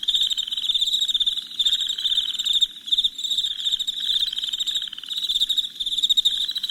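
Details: Crickets at night keep up a bright, pulsing, high trill that never stops, with several callers overlapping and short softer moments near the middle.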